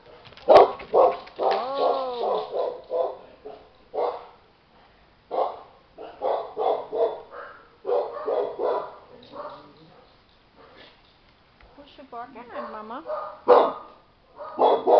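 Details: Chow Chow puppies, 25 days old, outdoors for the very first time: bursts of short yapping barks in quick clusters, broken by drawn-out wavering whines that rise and fall, with brief pauses between bouts.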